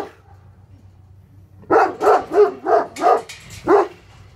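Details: Two Tornjaks, Hattori Hanzo and Leksi, Bosnian-Croatian sheepdogs guarding livestock, bark at an intruder. After a quiet second and a half comes a rapid run of six deep, loud barks in quick succession.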